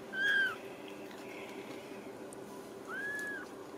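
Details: Ragdoll kitten from a home cattery in central Kansas giving two thin, drawn-out mews a few seconds apart over a quiet room hum.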